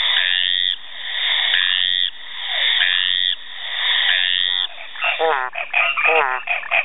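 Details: Brazilian frogs give harsh, rasping croaks, followed by quicker bubbling, pulsed calls.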